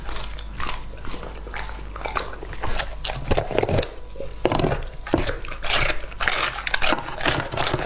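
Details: Chewing and biting from Lucky, a two-and-a-half-year-old English Labrador eating raw meat in a small room: sharp crunchy bites and slurping chomps, louder toward the end, separated by short gaps.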